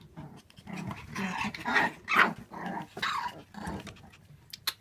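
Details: Several Shiba Inu puppies, born 8 May 2016, at a kennel give rough, breathy growls and yips in quick, uneven, overlapping bursts.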